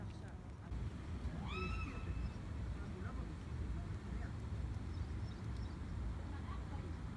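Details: An affectionate calico cat on an embankment, running after a person and asking for attention and food, gives one short rising-then-falling meow early on. After it comes a steady low rumble and faint background noise, with no further clear calls.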